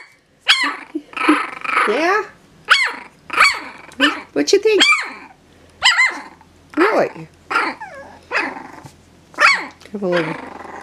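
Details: Jack Russell terrier puppies from a 2018 litter, three and a half weeks old, indoors. A male and a littermate give about a dozen short, high, whiny yelps that rise and fall, spaced roughly one per second.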